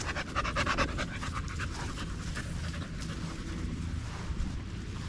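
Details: Male Staffordshire Bull Terrier out with other male dogs on a long evening at the park, panting in rapid breathy bursts, strongest during the first second, then softer and steady over a low background rumble.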